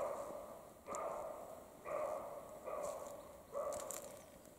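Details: European roe deer, male and female, barking during the mating period in the Carpathian mountains; five harsh, hoarse barks follow one another at roughly one-second intervals, each lasting close to a second, over a quiet rural background.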